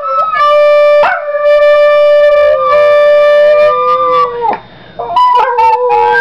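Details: Pet Yorkshire Terrier singing for the first time, copying tones its owner plays on a recorder; wavering, drawn-out howling notes sliding between pitches, mixed with steady held recorder tones and a brief quiet gap.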